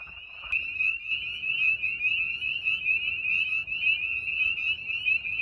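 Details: A dense breeding-season chorus of spring peepers, with wood frogs also calling, at a vernal pool in the evening: countless high, piercing peeps overlapping into a continuous shrill ring.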